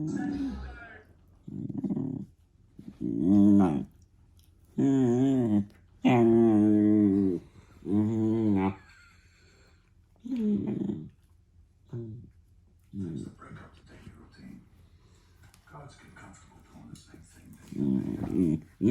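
A German Shepherd puppy gives a string of wavering, whiny grumbles and yodel-like moans in short bursts.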